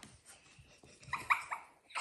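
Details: Young female Parti Poodle puppies from one litter, indoors with a small child; a few short, high whimpering yips come in quick succession partway through, over soft background music, breathing and light handling noise.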